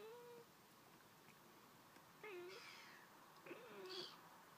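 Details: Domestic cat watching birds outside and chattering, producing a short level chirp then two longer wavering, bending chirrups with a noisy breathy edge, in a quiet indoor room.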